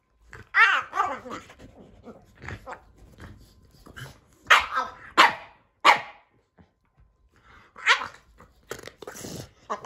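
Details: During play with his Keeshond brother Kumo, Sully the Boston Terrier produces funny grumbling, moaning vocalizations and sharp barks in irregular bursts, with rustling and a few quiet human voices between them.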